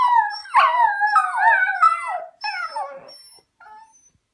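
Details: Dachshund pups howl in wavering, rising and falling tones, singing along as their owner plays a thin high flute.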